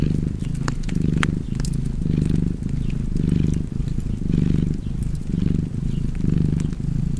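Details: Low, throbbing purr of a cat, swelling and easing about once per second, mixed with occasional sharp pops from a burning fireplace.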